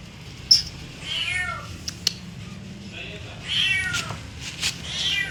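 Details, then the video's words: Cat giving soft, fairly faint meows with a falling pitch, spaced about a second or two apart, mixed with sharp clicks and taps. "cat meowing"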